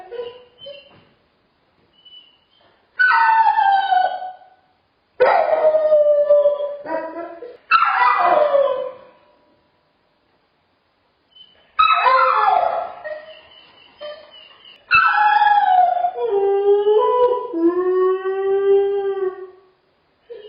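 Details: Dog with separation anxiety whining, crying and howling in a crate: high wavering whimpers sliding downward, bursts of several seconds separated by short pauses, ending in a longer drawn-out falling howl.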